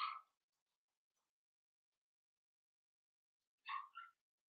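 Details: Cavalier King Charles Spaniel puppies, four weeks old, in Daisy's pen: a faint short yip at the start, a long quiet pause, then a double yip, the second note higher and shorter.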